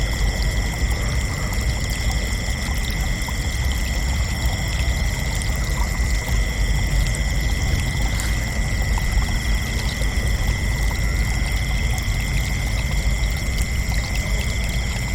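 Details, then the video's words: Nighttime cricket chirping forms a constant shimmering chorus: high steady trills at a few pitches, one faintly pulsed, running without pause over a low, rushing rumble. "Relaxing Cricket Chirping Sounds for Dreamy Nights"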